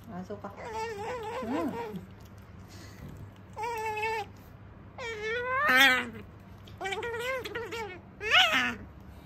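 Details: Female otter Sakura chattering as she eats at home: varied high squeaks and whines, some flat, some sweeping up and down, in clustered bursts roughly every two seconds, a few louder sharp squeals near the end.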